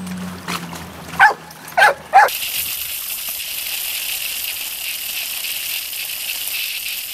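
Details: Stella, a dog, freaking out in a pool: three short sharp barks about half a second apart near the start, then a steady hiss of splashing water with music underneath.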